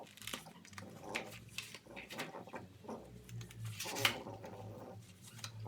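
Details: Indoors, a French Bulldog puppy tears apart a cardboard box with its teeth in time lapse, giving low snorting grunts among rustling, crackling cardboard and a sharp rip near the end.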